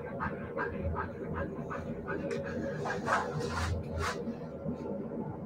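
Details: Siberian Husky puppies giving short, high yips and whimpers in quick irregular bursts, roughly two per second, over a steady low background hum with faint human voices mixed in.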